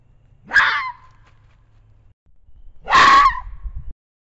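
A fox gives two harsh, raspy screaming calls, a few seconds apart.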